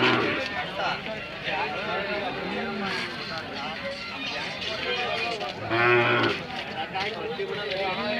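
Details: Hallikar cattle at the KG temple cattle fair market in India; a low, drawn-out moo with a rich harmonic tone rises midway through the clip amid constant crowd chatter and faint music.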